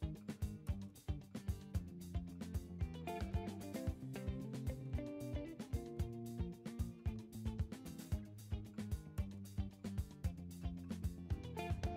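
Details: Strummed guitar music plays steadily throughout, with no animal sound heard.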